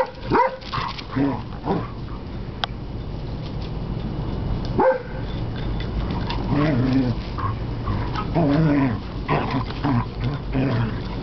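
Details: A Basset Hound pup plays with an older Beagle/Basset Hound mix, giving short, sharp barks and low, throaty growls and grumbles.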